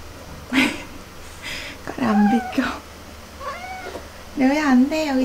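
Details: Domestic cat in a multi-cat household where feline herpes is spreading, meowing indoors: drawn-out, wavering meows, one near the middle and a longer quavering one at the end, while a woman talks to the cats nearby.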